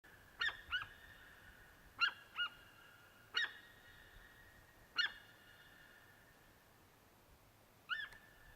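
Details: Deer calling, with no picture shown: short, sharp, nasal high-pitched calls, mostly in pairs, in five bouts spaced about one and a half seconds apart, then a pause and one more, over a quiet, steady background.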